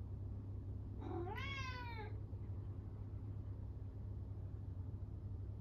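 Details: A Norwegian Forest Cat, lonely when its owner leaves, gives a single loud, drawn-out meow that rises then falls, over a low rumble.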